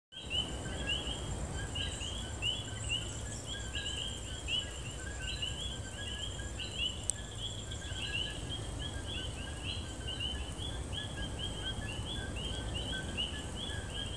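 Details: A night chorus of coquis, tiny tree frogs native to Puerto Rico, giving mating calls: many frogs repeating short, high, upswept chirping notes without pause.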